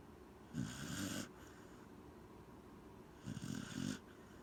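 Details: Sleeping Corgi named Gen-chan snoring: two rough, breathy snores roughly two and a half seconds apart, each about half a second long with a low rattling buzz.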